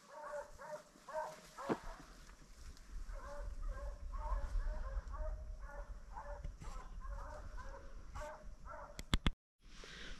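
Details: Pack of hunting dogs on a deer's trail during a deer drive, recorded on a cellphone: steady run of short, repeated baying barks at a distance over a deep rumble, with a few sharp clicks near the end.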